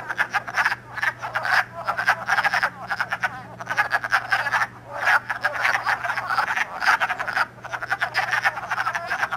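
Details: Dense chorus of wood frogs, calling and mating early in the year at Elmer, New Jersey, March 2012, iPod recording: rattling, duck-like croaks pile up in waves, with brief lulls between surges and a steady low hum underneath.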